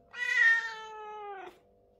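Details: Daytime meow from a British Shorthair cat: one loud, long, richly harmonic call rising sharply at the start, holding steady, then sliding down at the end, roughly one and a half seconds long.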